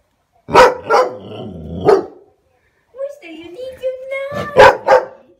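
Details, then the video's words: Standard poodle barking at her own reflection in a mirror indoors: sharp single barks, then a long rising whine, then two quick barks, with a person talking. "the standard poodle barking at herself in the mirror"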